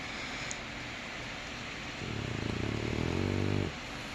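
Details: Boston Terrier puppy asleep and snoring: one low, rattling, finely pulsed snore lasting under two seconds, rising out of and fading back into a steady background hiss.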